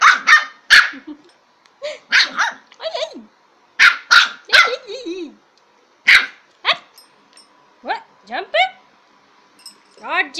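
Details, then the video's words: Lhasa Apso puppy at play with a bowl, giving short high yappy barks in bursts, some sliding down in pitch, with pauses between groups; a person speaks briefly. "My Lhasa apso puppy playing bowl"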